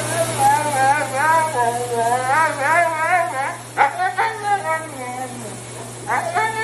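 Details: Husky dog vocalizing indoors in a series of wavering, yodel-like whines that bend up and down, several in quick succession, then sharp yelps near the end, with a person talking over the dog and a steady low hum beneath.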